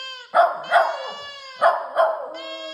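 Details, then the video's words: Young dog practising its howl: pairs of short, sharp yips break into a sustained, steady, ringing howl note that carries on between the bursts and continues to the end. "Howling puppy"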